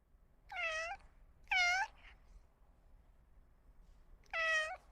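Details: Domestic cats meowing: three clear, tonal meows rising then falling, each under half a second, with gaps of quiet between them in an indoor setting.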